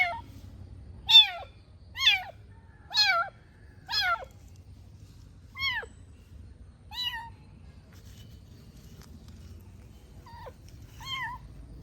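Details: Tiny new kitten at play indoors, meowing loudly while wobbling around the house: sharp, high, falling meows repeated about once a second, then shorter and fainter cries spaced more widely, over a low household rumble.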